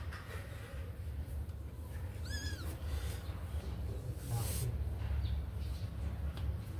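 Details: Kitten let out of its cage to run and play gives a single short, arched meow with rich harmonics, rising then falling, over a steady low hum and light rustling.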